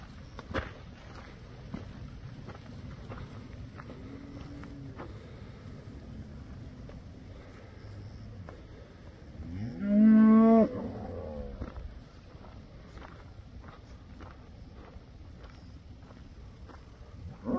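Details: Herd of first-calf cows with calves; a single strong, harmonic moo rising then falling midway, with a faint earlier low call and rumbling background noise.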